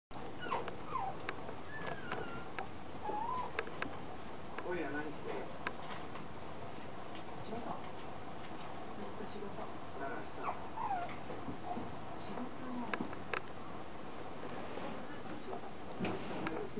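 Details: Male apricot Toy Poodle puppy, 49 days old, from a breeder in Chiba, Japan: thin high whimpering squeaks with short wavering pitch slides, scattered across the clip over a steady low background hum.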